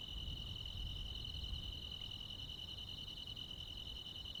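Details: On a summer night in a rural area, crickets and other insects keep up a sustained high, slightly warbling trill in two tight pitches, steady from start to finish, over a soft low rumble.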